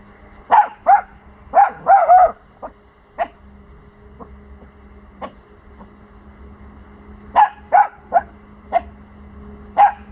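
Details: Four-month-old Pomsky puppy defending his territory against noises from the neighbours: bursts of rapid high barks at start and end, sparse softer barks between, a steady low hum throughout.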